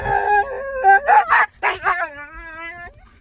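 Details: A Siberian Husky, angry on seeing a deer, lets out harmonic yowling calls that break into rough barking bursts in the middle, then slide into a long falling howl that fades near the end.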